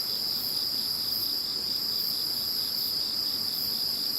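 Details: Insects singing once Typhoon No. 21 had gone: one high, even, continuous ringing tone dominates, backed by fainter rhythmic pulsing chirps at a higher pitch.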